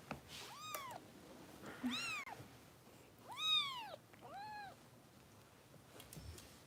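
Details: Foster kitten Harper of Kitten Rescue in Los Angeles, at bottle-feeding time indoors: four loud high meows, each rising then falling in a smooth arch, spaced roughly a second apart, over a quiet room hum.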